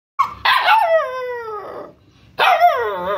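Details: Rescued wild Bhutanese mastiff puppy, about one month old, named Migser (yellow eyed), giving two high, whining yelps that slide downward in pitch, the second following after a brief silence.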